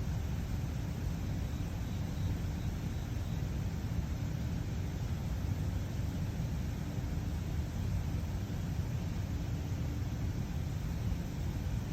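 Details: Steady low rumbling noise with a flat hiss runs throughout, with no distinct animal sound.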